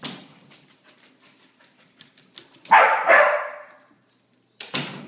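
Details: After three days of rain, a Border Collie lets out a pair of rasping, urgent barks in quick succession, then a brief pause and another sharp bark at the end.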